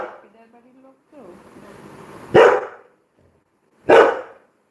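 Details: Labrador Retriever named Coco barking indoors during a livestream: two sharp, loud single barks about a second and a half apart, preceded by soft human speech and murmuring.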